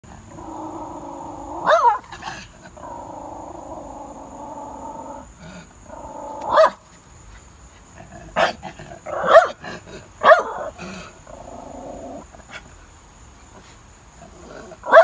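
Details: Jack Russell Terrier in a playful fight, a long steady rumbling growl broken by sharp barks and yaps, with scuffling thumps between outbursts.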